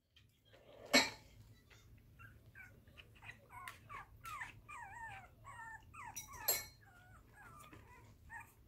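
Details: Puppy whimpering in a rapid series of thin, high, wavering whines with short squeaky yelps, broken by two sharp knocks.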